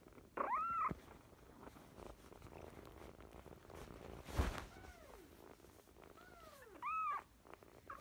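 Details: Young fostered kittens, sisters taken in during spring 2017, mew repeatedly: short, arched, high meows, some overlapping, around one thump and faint room noise.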